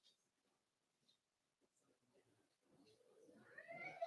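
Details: Four-week-old Cavalier King Charles Spaniel puppies in a home puppy pen: near silence for almost three seconds, then a short, rising, harmonic whimper swells and grows louder in the final second.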